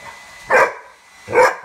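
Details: Pet dog Rubble barks at his bone indoors, two sharp, bright barks spaced under a second apart, with near silence between them.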